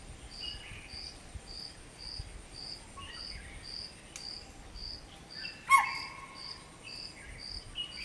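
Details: Single loud, piercing spotted deer call, an alarm given around 5:30 am after seeing a person on a machaan, warning a family heading to a lake to drink. Evenly repeated cricket chirps fill the background.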